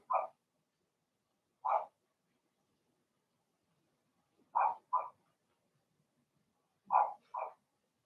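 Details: Blenheim Cavalier King Charles Spaniel puppies in a home puppy pen, litter of two females and four males: high puppy barks, singly and in quick doubles, spaced a few seconds apart in a quiet room.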